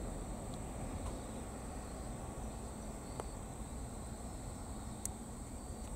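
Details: A captured Aomatsumushi green tree cricket, motionless throughout, sings a steady, very high, thin ringing trill over a low rumble of distant traffic.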